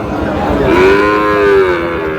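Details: Sahiwal cattle, a bull calf, at the busy Raniganj livestock market in Dinajpur district, Bangladesh, on 18 May: one drawn-out, mid-pitched, tonal moo of about a second, rising slightly then levelling, over a murmur of crowd noise.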